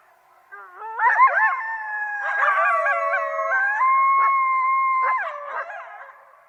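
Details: Coyotes in a group chorus: many overlapping howls rising, holding and falling, broken by quick yips and yelps, with one clear steady howl standing out before the voices trail off.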